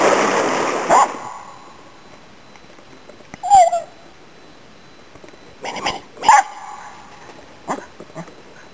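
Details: Finnish Spitz barking in autumn 2010 while hunting waterfowl and game birds in Inari, Finland: a few short, separate barks spaced several seconds apart, with quiet outdoor background between.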